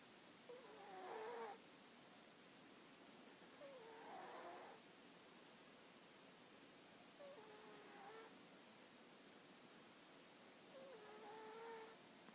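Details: A sleeping dog snoring indoors: four long, rhythmic breaths about every three seconds, each a noisy rush carrying whistled, wavering nasal tones that step up and down in pitch, with quiet hiss between breaths.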